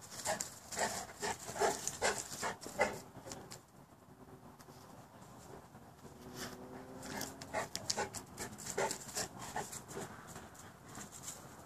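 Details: Boerboels, more than one dog, breathe in quick, uneven panting bursts, with a short tonal whine in the middle stretch and scuffling noises throughout.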